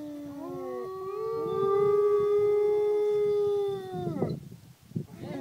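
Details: Renki the dog howling: the voice slides upward, holds a loud, smooth, sustained note for about three seconds, then breaks off into rough, fading sounds.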